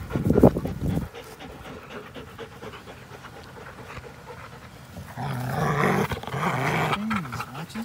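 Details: Two dogs, an American Pit Bull Terrier and a Belgian Malinois cross, at play on April 21, 2019: a loud burst of breathy noise opens, then quieter rapid panting and low, wavering growl-like tones near the end.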